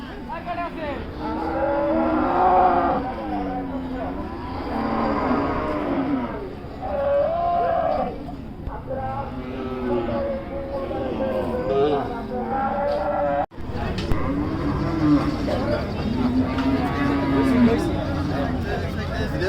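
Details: Cattle at Hazratpur cattle market, large-sized animals gathered before Qurbani: overlapping drawn-out moos with arching, wavering tones from several animals, repeated throughout, over steady crowd murmur with a brief dropout near the middle.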